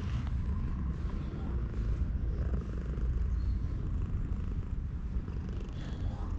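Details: Stray cat sunbathing at a shrine and being stroked, filmed on a GoPro HERO8: a steady low rumbling purr runs throughout, with faint handling noise and soft background hum.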